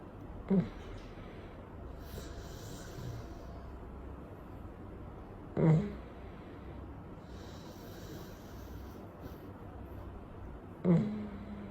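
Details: Sleeping Chow Chow dog resting on a warm day after his wash, left to dry naturally; low, soft snorting breaths come about every five seconds, three in all, over a quiet indoor hiss.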